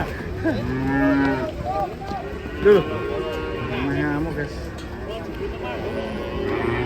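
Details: Cattle coming down off a swaying truck, mooing in several overlapping, drawn-out, tonal lows with a short louder burst partway through, over a steady low background rumble.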